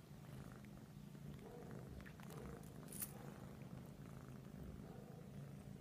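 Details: Persian cats cuddling, a continuous low pulsing purr dominating the whole stretch, with a few light clicks and one sharp tap midway.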